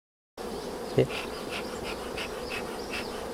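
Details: Honey bees on a bee farm in Kampong Cham province, Cambodia, during honey harvesting: a steady, dense droning hum that holds level throughout, with faint pulsing overtones and one short knock near the start.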